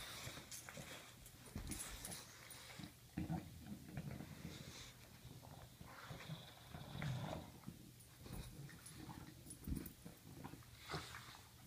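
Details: Pet bulldog wrestling with a sock: deep snorting growls and grunts come in uneven bursts about every second or two, mixed with scuffling, panting and faint clicks of movement.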